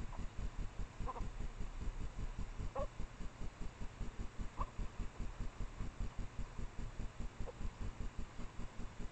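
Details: Short yelps from a mating pair of Japanese badgers hidden behind a trailcam near the sett in secondary woods, just after midnight in late April. Four brief, strained cries come at irregular gaps across a continuous low pulsing hum.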